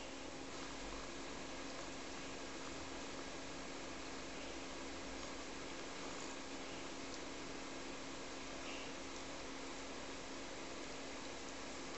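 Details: Steady indoor hum like an air conditioner or fan fills a small room, with a faint tonal drone and no animal calls.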